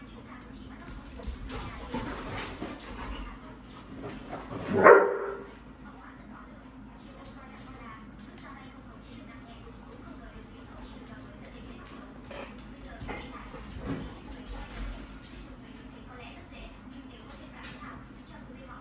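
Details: Kiko, an Australian Shepherd, visiting a puppy group for half a day to play, gives one loud, sharp bark about five seconds in, then stays mostly quiet over a steady low hum, with scattered soft scuffling and faint voices.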